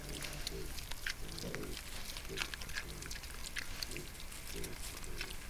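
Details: A wild boar sow and her piglets, recorded by a camera trap in a forest of Sologne, France, give short low grunts roughly every half second throughout, over steady crackling of leaves and ground noise.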